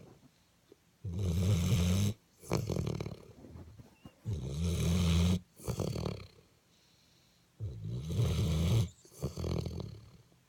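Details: Delilah, a pet dog, snoring in deep sleep: three loud, low, rattling inhalations about three seconds apart, each followed by a softer, breathy exhale, with quiet pauses between.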